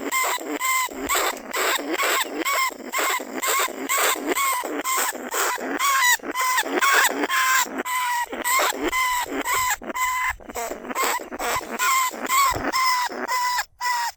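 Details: Caged lesser bandicoot rat, a rice-field pest that burrows into paddy dikes, calling other rats at Na Lao, Nong Khu Phai. A steady run of short, bright squeaks with layered overtones comes roughly twice per second, nearly unbroken.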